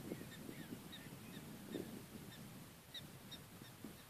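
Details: Prairie dogs in Badlands National Park, South Dakota, USA, on October 12, 2013: short, high, sharp chirps repeat in an uneven series over a steady bed of low rumbling noise.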